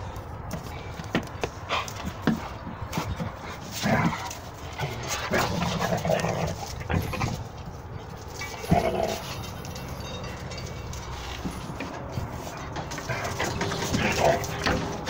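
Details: Red nose American Pit Bull Terriers, several dogs, playing roughly in Texas; scattered short growls and grunts with broadband scuffling bursts and rustling, uneven loudness throughout, no steady rhythm.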